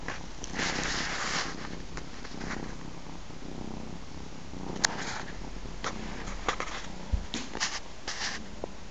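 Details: Nursing three-month-old ginger kitten with its mother; low purring rumble underlies bursts of sniffing or breathy suckling noises and scattered small clicks.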